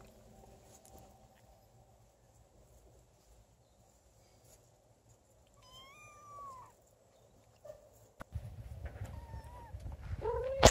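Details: Don Sphynx kittens, 30 days old, with their mother and father: thin, high mews with bright overtones, one rising then falling near the middle, more short mews toward the end over rustling handling noise.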